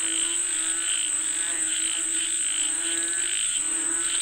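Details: Many frogs, said to be calling for rain, call together in a continuous, pulsing chorus of rapid, overlapping notes, with a steady high-pitched buzz, likely insects, running throughout.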